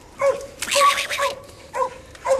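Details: English coonhound pup Ginger trains on a raccoon hung in a tree as the older dog that treed it calls in the background. Loud abrupt barks open and close the stretch, with a long harsh scratching burst between.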